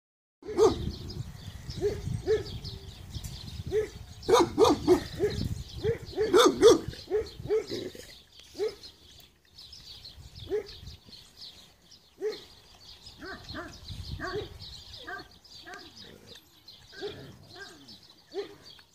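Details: Rustic Cane Corso dogs in a pack give deep, rapid barks in a dense burst over the first eight seconds, then softer, spaced barks follow against a steady high hiss.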